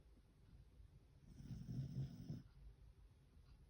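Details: Beagle Fukuko snoring while sound asleep after plenty of walking, playing and eating; one low, rumbling snore swells and fades midway in a quiet indoor setting.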